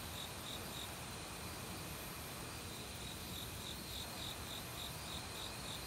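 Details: Autumn cricket in a forest with other insects: a brief run of high chirps, a short pause, then the rapid pulsing resumes and continues to the end, all over loud, steady valley stream water.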